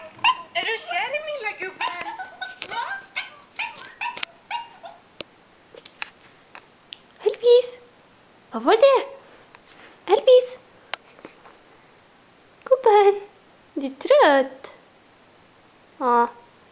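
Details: Chihuahua named Texas, a pet dog listening and watching indoors, giving a series of short, sharp, high yapping barks at irregular intervals over the last ten seconds. Human speech and handling noises fill the opening seven seconds.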